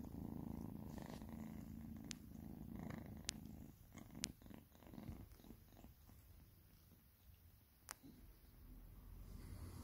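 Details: Domestic cats being fed give a low rumbling purr, strongest at first and fading, broken by several sharp clicks and knocks from feeding.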